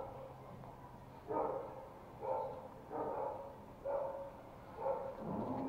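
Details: Toy Pomeranian puppy at play in Kathmandu, Nepal, January 2018: yappy barks repeated about once a second, five or six in a row, with low room hum behind.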